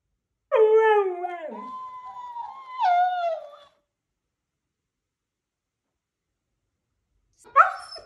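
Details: Husky reacting to a mimicking cactus toy with a long howl that drops in pitch and then holds steady, followed by a second wavering howl, silence, and a brief sharp vocal burst at the end.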